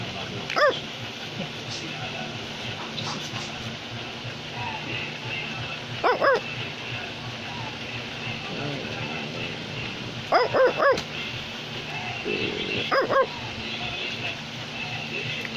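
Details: Male Australian Labradoodle giving scattered bursts of two or three sharp barks separated by long gaps, with low background talk and household noise between them.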